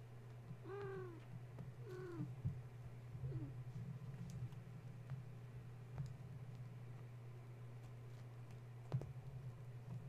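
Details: Young kittens of the cat Gaia, stirred up at bedtime by a space heater being plugged in, give two short thin meows and a tiny squeak in the first few seconds, then only a constant low electrical hum and faint clicks.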